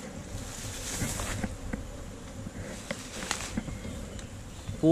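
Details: Steady droning buzz from a honey bee colony nesting in a tree trunk hole as hunters harvest its honey, captured on a GoPro Hero5 Black; soft rustles and knocks throughout, and a voice cuts in at the very end.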